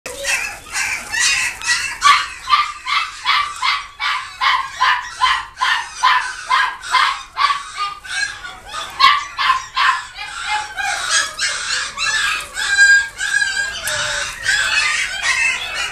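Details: Shih Tzu barking in a long, loud, steady series of sharp, bright barks, roughly two to three every second, continuing without pause and growing slightly rougher toward the end.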